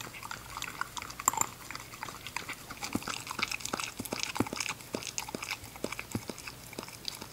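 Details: English Cocker Spaniel puppy named Ginger eating indoors; quick crunchy chewing and biting clicks in an irregular run throughout, with a steady low hum underneath.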